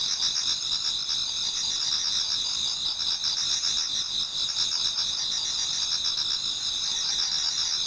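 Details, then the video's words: Many autumn insects singing together toward dawn in a Japanese garden: dense, continuous high-pitched trilling and pulsing bands overlap without pause, steady in loudness throughout. "Autumn Insects voice Towards dawn"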